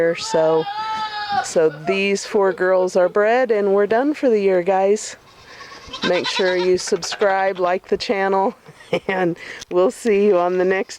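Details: Nigerian Dwarf goats during breeding time: loud, wavering bleats in quick bursts, a long drawn-out one opening the sequence and shorter ones following, with human speech mixed in throughout.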